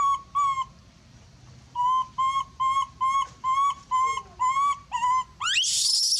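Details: Monkey screams loudly, calling for help, with a run of about ten piercing tonal cries, evenly paced and slightly rising at the ends. A harsh hissing burst follows at the close and a voice speaks briefly.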